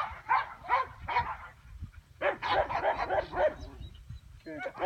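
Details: A two-year-old female English Pointer of Elhew lines gives three quick, sharp barks about half a second apart, then a fast tumbling run of barks and yips, with another burst at the end.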